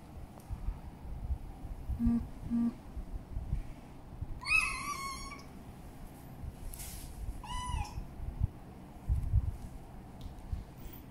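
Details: Carra, a female kitten on her first day in her new home, gives two short, clear meows several seconds apart, the first higher and longer, over a faint low household hum.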